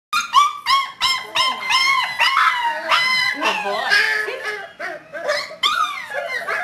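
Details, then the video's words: Whiskey, a five-week-old puppy from Star's fourth litter, born 12-5-11 and recorded 1-13-12, gives a run of high, quick, rising-and-falling yips and squeals while a trainer praises him. "Whiskey at 5 weeks old"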